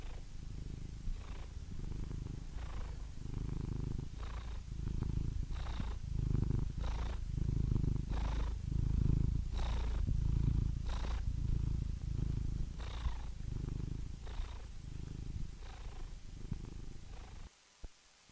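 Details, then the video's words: Purring house cat: a deep, rhythmic rumble with breath-paced surges about once a second, growing slightly stronger mid-way, then falling silent in the final second. "Soothing Cat Purr Sound Effect"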